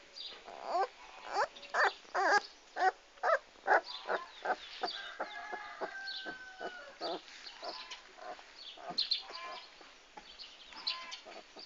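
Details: Komondor dogs recorded on 6 March 2016, giving a run of about ten sharp, loud barks spaced roughly half a second apart over the first four seconds, then fainter scattered barks mixed with higher poultry-like calls.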